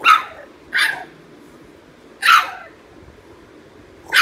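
French Bulldog puppies give short, high, sharp yips spaced irregularly, protesting at not getting their way.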